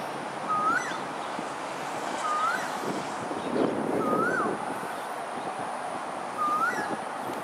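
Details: Lone otter at Pandan River, Singapore, on 28 December 2021 at 6:54 pm: four short, upward-sweeping chirps spaced about two seconds apart over a steady rushing background like wind or flowing water.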